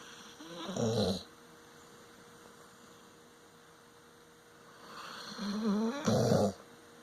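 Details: Moxie the dog snoring while asleep: two rough, rasping breaths, about five seconds apart, with quiet stillness in between.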